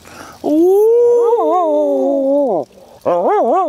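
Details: Border Collie howl from Molly and Panda: one sustained tonal howl rising then gently wavering and falling over two seconds, then a fresh howl with pronounced up-and-down warbles after a short break.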